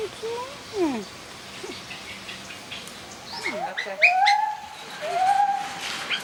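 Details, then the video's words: Jarunee, a singing gibbon, announcing territory: sliding, whistled notes climb and fall, then a run of rising whoops builds into longer held tones, over a hissing natural background. "Jarunee the Singing Ape"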